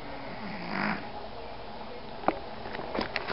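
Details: Alphie, a 14-year-old rescue Pomeranian, snoring: one rough, breathy snore swells early on, then quieter breathing follows, broken by a few sharp clicks and small noises near the end.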